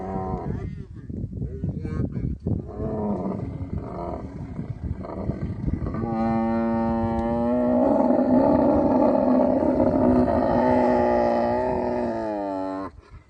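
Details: Camel in the Thar Desert of Tharparkar, Sindh, Pakistan, during mating season. Rough pulsing grunts fill the first six seconds, then a long, steady, droning bellow with rich harmonics holds for about six seconds before fading out.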